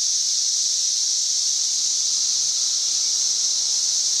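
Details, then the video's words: Chorus of cicadas in trees on May 31, 2024, producing a continuous shrill droning hiss, very loud and constant from start to finish without any break in rhythm. "91+ dB Cicada Singing."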